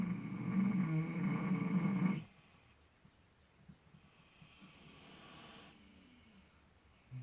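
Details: Miniature potbellied pig snoring while asleep in fresh straw, relaxed and seemingly dreaming; a low rumbling snore for about two seconds, then quiet breathing.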